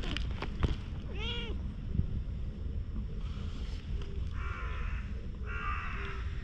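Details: Stray cat rolling over and over on the ground as if appealing for something, filmed on a GoPro. It gives one clear, drawn-out meow that rises then falls. Later come bursts of buzzy background noise, rustling and faint outdoor sounds.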